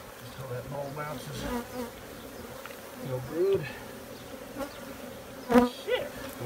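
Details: Honey bees buzzing as a steady low hum, with short bursts of Spanish speech and scattered clicks and knocks over it.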